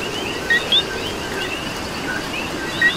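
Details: Coqui calling in rain in Puerto Rico: one clear two-note co-qui, a short low note then a higher upswept whistle, and a lone low note near the end, over steady rain hiss and a soft chorus of distant frogs.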